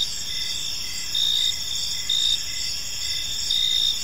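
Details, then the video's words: Crickets in a peaceful park at evening, a dense high-pitched ringing trill with louder chirp pulses roughly every second, no other clear sounds besides faint low background noise. "Park Serenade: Cricket Sounds in a Peaceful Park | Evening Ambience"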